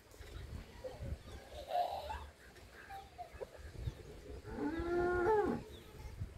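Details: Dairy cattle, HF and Jersey milk cows kept for sale on a farm at Udumalpet: a short harmonic moo near the end, a fainter lower call earlier, over quiet farmyard background and soft rustling.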